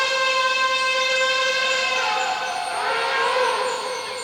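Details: An elephant from a wild group gives a long, loud, brassy trumpet that holds a steady pitch before wavering.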